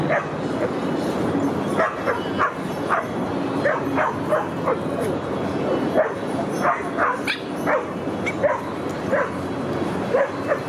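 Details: Boston Terrier named Rudy at the dog park, autumn 2015: near-constant barking for the whole stretch, rapid repeated barks with some higher yips mixed in, over steady outdoor noise.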